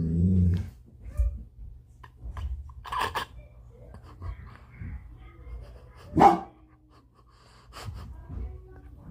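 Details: A dog barking at his own reflection: a low rumbling growl opens, then sharp single barks around three and six seconds, with soft grumbles and quiet pauses between.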